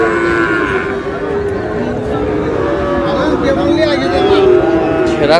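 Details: Sahiwal cattle at the Ambari cattle market, Aftabganj, on 19 August, where a Khulna farmer buys a Sahiwal bull calf; drawn-out, level, lowing moos start and end the stretch over a constant din of men talking and shouting.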